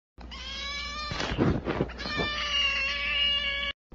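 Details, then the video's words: A kitten gives one long, drawn-out meow lasting over three seconds. It holds a steady harmonic tone, breaks roughly in the middle, then settles back into a smooth sustained note before stopping abruptly. "kitten meow"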